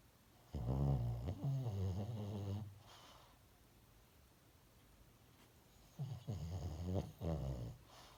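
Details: Sleeping pet dog snoring indoors: two bouts of low, rattling, buzzy snores, the first lasting about two seconds, then a quiet pause before a second, shorter run of throaty rasps.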